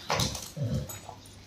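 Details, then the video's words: Rottweiler named Roxy, angry and attacking its owner: a short high yelp then two low whining growls with a faint whimper after, indoors. "Anger of Rottweiler Roxy रॉक्सी ने अपने मालिक पर अटैक कर दिया"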